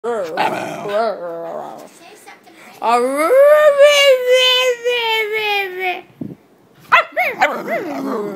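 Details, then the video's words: Pet female dog making a mooing, cow-like vocalization: a sustained tonal howl-like moan of about three seconds, slightly falling in pitch, preceded and followed by a woman speaking affectionately to the dog indoors. "likes mooing like a cow!"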